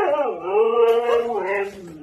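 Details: Siberian Husky "talking", one of a pair of pet huskies, giving a drawn-out, wavering vocal howl with rich harmonics that dips, holds steady, then slides up and falls away, about two seconds long.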